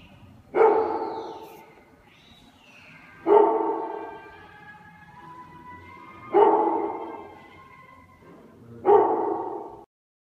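A Rottweiler gives four full, resonant barks, spaced two to three seconds apart.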